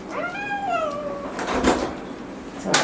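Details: Angry pet cat throwing a tantrum at the vet during a home visit: a long, drawn-out yowl rises sharply and then slides down over about a second, followed by bumping and rustling noises and a door-like knock.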